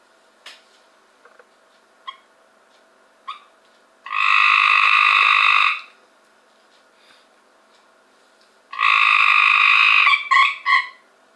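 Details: Cope's gray treefrogs caught from a backyard swimming pool in 2015: two loud, harsh buzzing trills of nearly two seconds each, the second trailed by a few short broken bursts, with faint scattered clicks and taps between them.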